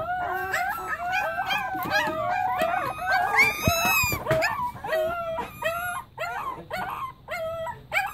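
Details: A chorus of Pembroke Welsh Corgi puppies howling, many short wavering yelps and howls stacked over each other, rising to a louder peak midway and then breaking into quick choppy cries.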